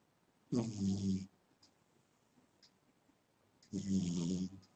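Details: A sleeping cat snores loudly: two long, droning breaths, each nearly a second in length, with a deep buzzing hum and airy rasp, about three seconds apart.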